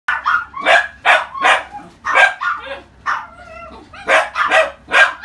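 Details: Pomeranian female puppy, orange coat, born February 2018, kept at a pet shop, giving rapid high yapping barks in quick bursts of two or three, with a brief whiny whimper between them.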